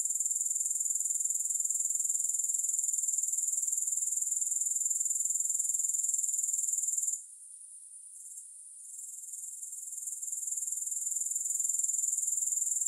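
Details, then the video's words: Grasshoppers chirring with no music: a steady, very high, shrill trill that pulses about four times a second, cutting out for a second or two past the midpoint before rising back to full strength. "Grass Hopper Sounds"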